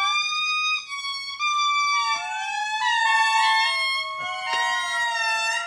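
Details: Indri, large lemurs in Madagascar, wail in loud, gliding, siren-like tones like a car alarm, several voices overlapping as groups call and respond in a territorial chorus.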